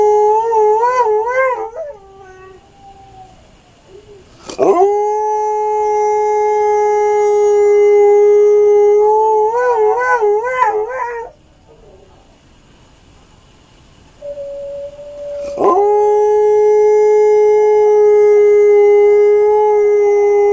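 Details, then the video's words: Diesel, an Alaskan Malamute, howls in long sustained notes broken by wavering, yodel-like stretches, with pauses for breath between drawn-out level tones. "Diesel Howling (Alaskan Malamute)"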